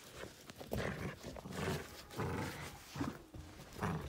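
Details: Miniature Dachshund at play, giving low, rough growling bursts that rise and fall, one long rumbling stretch over the first two seconds, then shorter grumbles near the end, with soft rustling between.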